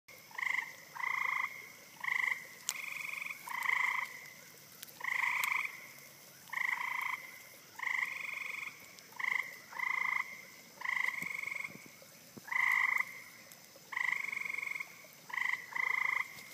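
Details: Eastern gray treefrog (Hyla versicolor) calling in spring 2013 in Rothrock Forest, Pennsylvania: loud, pulsed musical trills about a second long, repeated steadily every second or so, with slight overlap suggesting more than one caller.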